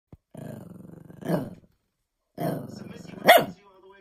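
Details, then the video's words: Shih Tzu growling low and steady while angry at a fidget cube, the rumble breaking into a single sharp yap near the end; a second stretch of growling follows a short pause. "Shih tzu dog gets mad at fidget-cube"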